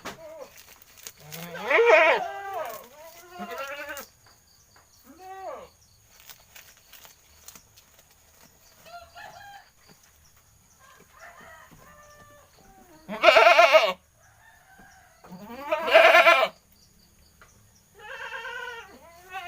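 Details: Talkative goat calling repeatedly: loud, harsh, wavering bleats stand out near the start and twice in the second half, with quieter, shorter bleats scattered between.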